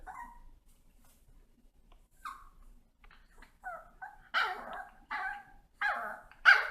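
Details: Pet dogs waiting in front of treats: faint whines at first, then louder, rising yelping barks coming roughly every second toward the end, in an otherwise quiet room.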